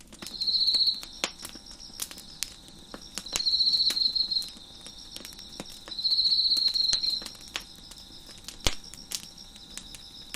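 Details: Crickets chirping in the background beside a crackling fire on a deck: loud high buzzy trills about a second long, three of them roughly every three seconds, over a steady faint high insect hum and sharp popping wood crackles.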